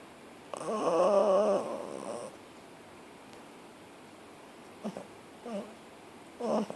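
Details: Pepper, a puppy asleep on the lounge on a lazy Saturday afternoon, gives one drawn-out wavering nasal snore lasting over a second, then three short soft snorts spaced about a second apart in a quiet room.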